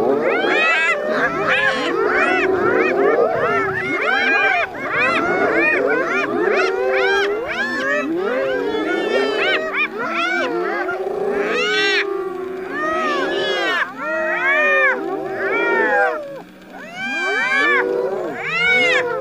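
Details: Spotted hyenas laughing while teasing a lion to steal its food: many overlapping high, wavering giggles and yelps, arched and rapidly repeated, rising and falling in dense clusters throughout.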